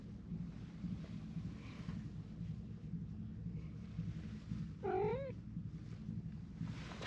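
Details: Stray cat among a crowd of strays gathering around: a single short, wavering meow midway through, rising and dipping in pitch, over steady low rumbling background noise.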